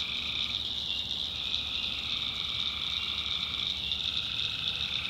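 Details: Tree frogs in a nighttime North Carolina swamp, calling as a dense, even, high-pitched chorus with a fainter lower trill running underneath, steady throughout.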